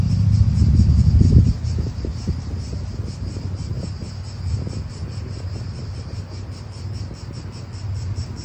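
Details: Real outdoor atmosphere of an Italian park: cicadas keep up a continuous, rapidly pulsed high buzz, while a heavy low rumble of wind or a passing car dominates the opening moments, then fades.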